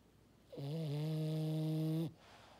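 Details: Maddi the French Bulldog letting out a steady, horn-like snore lasting about one and a half seconds, a low buzzing drone holding a flat pitch before stopping abruptly.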